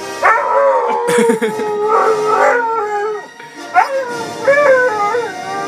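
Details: A female Siberian Husky howls along to the 20th Century Fox theme music in long, wavering tones that rise and fall.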